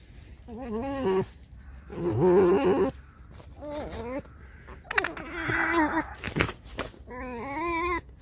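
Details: Alice, a pet fox, grumbling during play: five drawn-out, wavering, whiny cries with rich harmonics, separated by short pauses, plus one sharp scuffling burst near the end, indoors.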